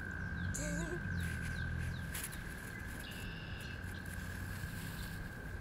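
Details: American toad (Anaxyrus americanus), trill call.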